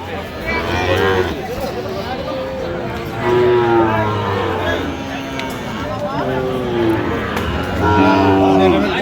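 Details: Sahiwal cattle, bull calves at a cattle market in Chittagong, Bangladesh, on 31 October 2025: several drawn-out, low harmonic moos around the middle and end, over steady crowd chatter and people talking nearby.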